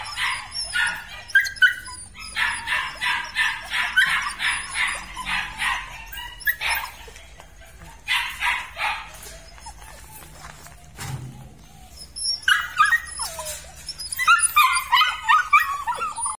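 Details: A litter of red-and-black Belgian Malinois puppies yapping: rapid, high, harmonic yips in dense bursts of several per second, several voices overlapping, with short pauses and a few whimpering notes between the bouts.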